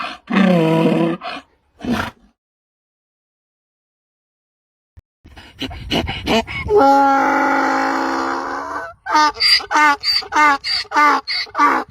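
A donkey brays in a harsh, see-sawing hee-haw that swells into a loud, rhythmic run of gasping notes.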